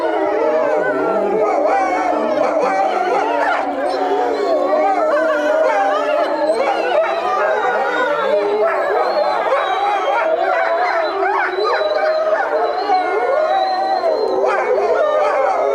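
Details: Group of European wolves howling together at Tama Zoological Park in Japan; many overlapping long, wavering howls, rising and falling and layered in a continuous chorus for the whole stretch.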